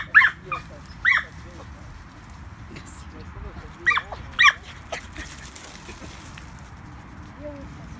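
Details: Border Terriers Baxter and Leo give a few short, high yapping barks in pairs, spaced by about a second, then fall quiet over a low steady background rumble.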